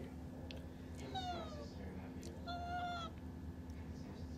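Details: Tuxedo cat at home asking to go outside, peeking out: two clear, drawn-out meows with a falling pitch, about a second apart, over a steady low hum, with a person's voice asking if it wants to go out.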